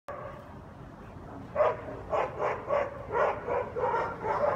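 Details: Guard dogs in New Orleans barking nonstop at 7am on a Sunday, heard from a house nearby; a steady run of loud barks about every half second, with a faint background hum.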